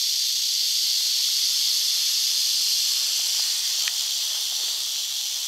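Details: North Florida eastern diamondback rattlesnake rattling: an unbroken, loud, hissy high buzz holds level throughout, with faint ticks beneath it.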